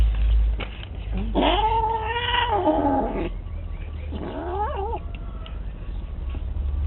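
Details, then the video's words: Cat giving two long drawn yowls, the first steady and moaning over about two seconds, the second shorter with a wavering, quavering pitch, over low background rumble. "bad cat, funny noise"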